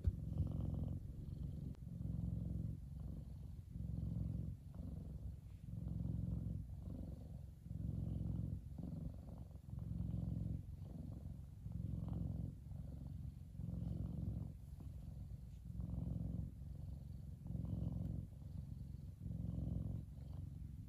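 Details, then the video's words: Big F2 Savannah cat Kumba relaxing in the sun, purring in long even cycles, loud rumbling swells alternating with softer inhaled purrs about every two seconds. "Big Savannah Cat Relaxing And Purring."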